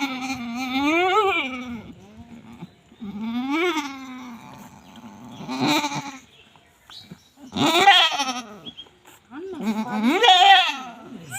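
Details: Domestic goats, a household with four newborn kids: five loud, wavering bleats, each about a second long with an arched rise-and-fall in pitch and rich harmonics, spaced roughly every two to three seconds with quiet gaps between.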